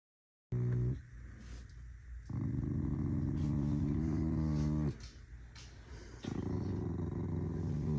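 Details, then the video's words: Angry corgi dog growling in long, low, rumbling bouts with a harmonic buzz, a brief pause near two seconds, another pause around five seconds, then a further sustained growl. "An angry corgi... Again..."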